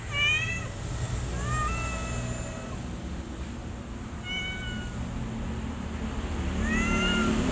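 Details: Mother cat with her kittens; high, thin meows with stacked harmonics. Four calls: two rising then level, spaced at roughly 0.3, 1.5, 4.3 and 6.8 seconds. A steady low rumble runs underneath throughout.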